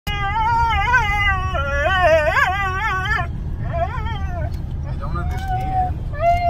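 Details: Two Siberian huskies riding in a car, one howling in long wavering, yodel-like tones that rise and fall repeatedly, with short breaks and a final rising note, over a constant low engine rumble.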